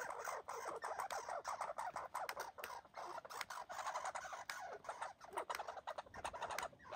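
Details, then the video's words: Boxing red squirrels, one injured, keep up a long scratchy barking rattle of rapid pulses, broken by short gaps between bursts. "Red Squirrels fighting and boxing and barking"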